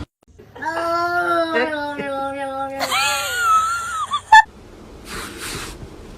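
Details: Domestic cat giving drawn-out, wailing meows with a rich harmonic tone, one long steady cry followed by a shorter falling one, then a sharp click; people laugh and talk indoors in a small room.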